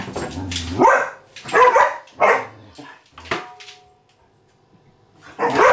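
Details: Vizsla puppy April, indoors with the house cat Maggie, barking in three or four rough, noisy bursts close together, then a pause of near quiet before another loud bark, while a person tells her to calm down.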